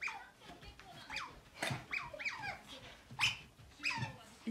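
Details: Pet otter stalking the owner's mother, chattering busily with a fast run of shrill squeaks, each falling sharply in pitch, coming almost every half second, over light thumps and movement noise.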